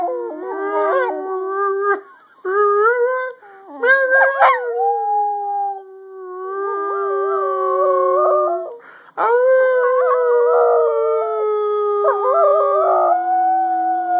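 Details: Pet dog named Scruffy singing: a run of wavering, drawn-out howls with yips and whimpering breaks between phrases, voice sliding and trembling, long steady tones then a fresh rising howl.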